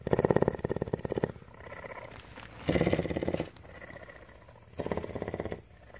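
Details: Tawney, a female cougar (mountain lion) living at CARE in Bridgeport, Texas, purring steadily: a rapid throbbing rumble in loud bursts of about a second, alternating with quieter, softer stretches between.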